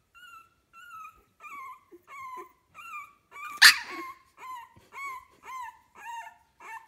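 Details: A 15-day-old puppy of kennel litter A gives clean, evenly spaced whimpers roughly every half second, each a short tonal wavering cry, broken once midway by a sharp, louder noisy squeak.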